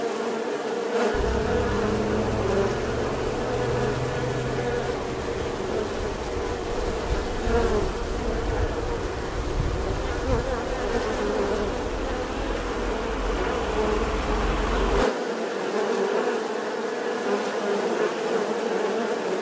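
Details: Bee giving a steady, droning buzz that holds an even pitch throughout, with a deep rumble underneath from about one second to fifteen seconds that then cuts out abruptly.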